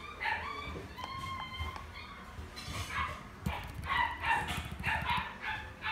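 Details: Shiba dog in a pet shop in Omihachiman, Japan, yipping in quick bursts of bright, harmonic, nasal notes, several in fast succession near the end, over a steady low background rumble.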